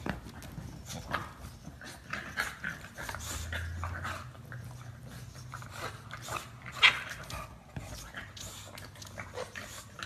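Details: English Bulldog making low rumbling grunts and snuffling noises, with a steady low hum between about three and five seconds and scattered short noisy bursts and clicks throughout.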